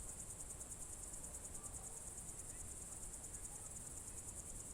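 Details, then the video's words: Evening crickets in June 2023 at Novye Buregi, Novgorod Oblast, Russia, keep up a continuous high trill that pulses rapidly and evenly, with soft low rumble beneath and no other clear voices. "Звуки природы , сверчки"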